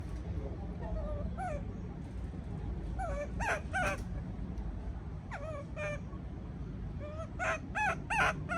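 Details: Baby monkey left alone in a cage, calling out of fear: thin, wavering squeals with bright overtones, some rising then falling, given in scattered bursts of two or three over a steady low rumble.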